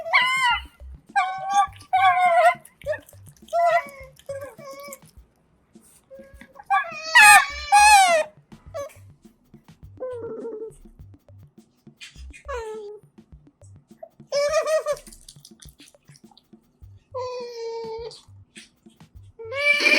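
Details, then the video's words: Eating otters indoors: scattered high, harmonic squeaks and short whimpering calls, a few louder descending squeals, separated by quiet gaps, soft music in the background. "にゃむにゃむ食べるカワウソにマイク使ったら可愛すぎた Otters Make Funny Noises While Eating with Mic"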